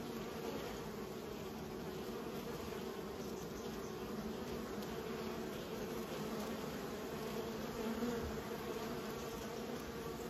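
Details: Steady hum of many raised bees, an unbroken buzzing drone with a low tone and a higher overtone, rising slightly in loudness near the end, no other clear sounds.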